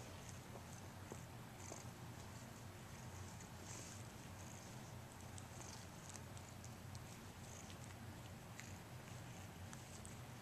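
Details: A Scottish Fold kitten playing with a dangle toy purrs steadily, a soft low rumble with light clicks and jingles above.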